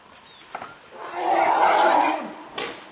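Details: Two adult male African forest elephants clash at Dzanga Bai, Central African Republic, as the older Gabin wins the fight; a single loud, harsh, tonal scream swells and holds for about a second before fading.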